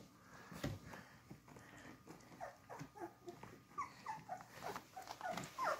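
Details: Beagle puppies drinking milk from their mother, heard as soft suckling and shuffling noises, then a run of short, high, squeaky whimpers crowding the last two seconds.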